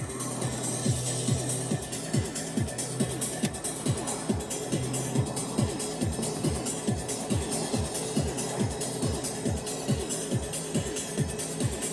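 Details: Fast electronic techno music with a driving, regular beat plays throughout, with faint speech and no animal sounds.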